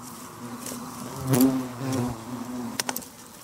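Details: Yellow hornets (Vespa simillima) flying in and out of a nest entrance in a weedy bank during nest removal, 18 September 2023, in Ono town; a low steady buzzing hum with a louder swell near the middle and sharp clicks and knocks near the end.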